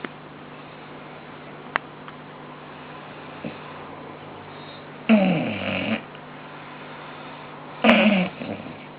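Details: Two bulldogs asleep and snoring indoors: two rough, rasping snore breaths about three seconds apart, each lasting under a second, with a faint click and steady low hum between.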